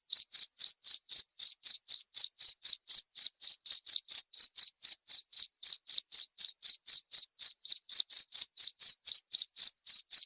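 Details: Cricket chirping, offered as a sound to drive away rats: clean, steady pulsed chirps repeated about four times per second throughout, with no other sounds.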